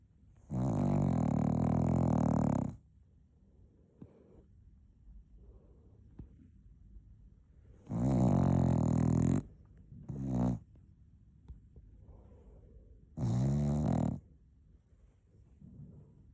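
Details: Cocker Spaniel puppy asleep, producing three long, loud, rough snores about every five to six seconds, with a short snort after the second and soft breathing in the gaps.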